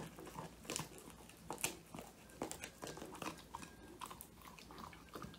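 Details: Old English Sheepdog Woody, male, born January 22, 2019, chews his first treat, a whole handmade quail, recorded by phone: quieter, steady crunching bites with a few sharper cracks.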